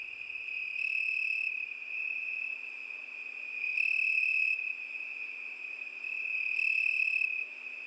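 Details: Crickets singing on a summer night: a steady, high-pitched continuous trill that swells louder and brighter about every three seconds, then settles back to a constant ringing drone.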